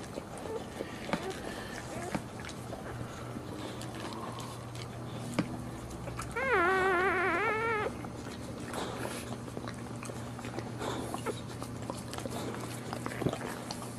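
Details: Boxer dog around a standing birth; one loud wavering whine lasting about a second and a half, rapidly trembling up and down, then faint scattered squeaks and clicks over a steady low hum.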